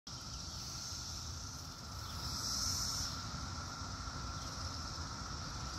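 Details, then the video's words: Cicadas heard outdoors in 2021 while cats hunt for them: a steady high buzzing drone that swells briefly at mid-clip, over a broad low rumble of distant traffic. "2021 Cicada Noise"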